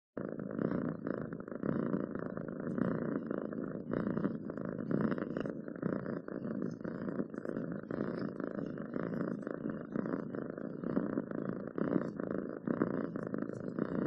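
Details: Domestic cat purring in a steady, low, continuous rumble with only faint breathing pulses, close to the microphone; a few soft clicks are scattered through.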